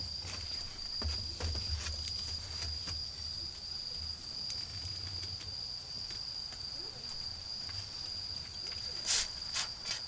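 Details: A continuous high-pitched trill from autumn insects sounds in a garden while a bonfire burns, held level the whole time, overlaid by sharp crackles and snaps of burning wood and a low fire rumble.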